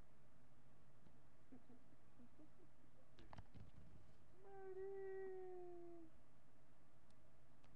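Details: Marty, a miniature pinscher, captured on webcam on July 8, 2011 at 10:56 AM, gives a single drawn-out tonal howl lasting about a second and a half, steady then gently falling, after a few soft knocks in a quiet room.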